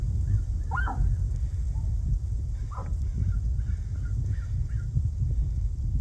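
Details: Tule elk herd in the Coyote Valley and Henry Coe State Park area, on a hillside above the creek feeding Anderson Lake. Several give short, honking alarm barks over a steady low rumble as a biologist approaches to about 200 yards; a collared cow barks, calves held behind the herd.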